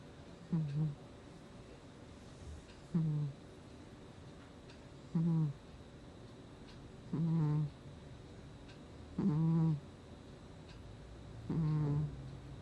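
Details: Gnusmas the cat asleep in August 2020, giving six short, low, humming snores spaced about every two seconds, each a brief tonal rumble with faint overtones, against a quiet indoor background.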